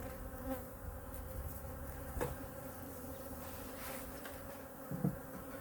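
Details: Quiet winter hive inspection of a honey bee colony, hive #2, while food reserves are looked over: a soft, even droning hum persists beneath faint low rumble, with a light knock around two seconds and a tap near five.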